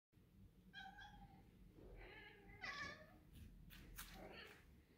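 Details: Two house cats, Shiro, a male tuxedo, and Keera, a grey and white female, chirping at insects indoors in summer; short harmonic chirps and trills come in quick bursts, with faint rustling in a quiet room.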